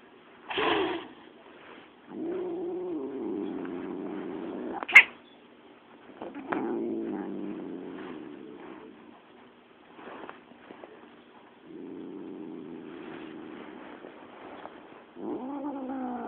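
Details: Spanky, an angry domestic cat, gives drawn-out low growls in several long stretches, broken by a brief yowl at the start, a sharp spit in the middle and a rising, wavering moan at the close.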